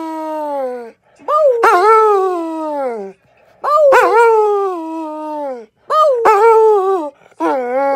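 A dog gives long, wavering howls that rise, then slowly sink, each lasting a couple of seconds.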